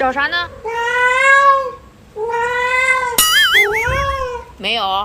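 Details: Yuanbao, a domestic cat, demanding more food in the early morning just after a meal. Long, sustained meows with strong harmonics, separated by short gaps, with a wavering, warbling sound partway through.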